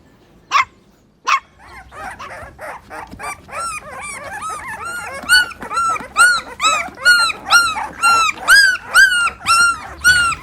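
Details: Puppies competing for toys on green grass: two sharp yaps, then a long rapid run of high arched yelps, roughly two per second, growing louder and more tonal toward the end.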